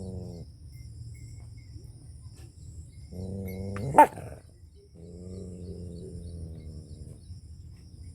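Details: Angry dog in a village in rural Punjab, Pakistan, giving drawn-out, wavering howls of one to two seconds, separated by quiet gaps, with a sharp sudden crack midway and low rumbling background noise throughout.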